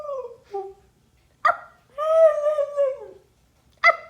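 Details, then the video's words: Siberian Husky reacting to its owner making animal sounds: two short wavering whines, then one long sustained howl-like tone about a second long, with sharp clicks between the calls. "Husky reacts to owner making animal sounds!"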